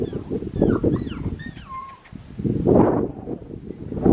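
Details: Australian Shepherd puppy, a black tri female, gives thin arching whines and a longer level whine in the first half. People talking fill the rest.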